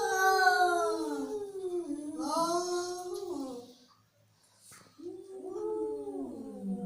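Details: Angry domestic cat producing drawn-out, harmonic howling yowls that bend downward. A brief near-silent pause is followed by another rising, wailing cry.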